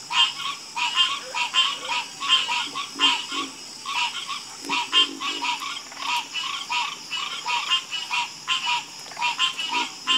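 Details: Harmonious frog chorus: loud rattling croaks in quick pulsed bursts, rising and falling in volume and repeated several times a second by overlapping frogs, with a faint high hiss behind.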